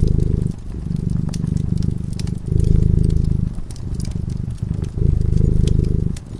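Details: Cat dozing before a flickering fireplace gives a low, buzzing purr in alternating breath cycles with short quiet gaps, while the fire pops and crackles steadily in the background.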